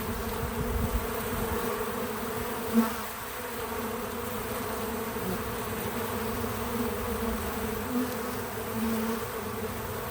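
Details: Bees at a feeder, untouched field audio: a constant droning buzz from many wings, with one sharp close pass near the third second and softer flybys later, and nothing else audible.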